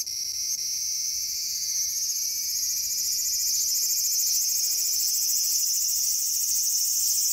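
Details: Cicada in a small garden on August 5, 2020: a dense, unbroken high-pitched drone, loud and even, with a rapid shimmering flutter and a slight rise in pitch across the clip.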